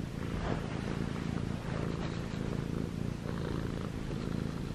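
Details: Purring from ChoBee, a six-month-old short-legged Munchkin cat, male, white and gray, as he kneads pajamas; low continuous rumble with soft pulsing texture and faint fabric rustle.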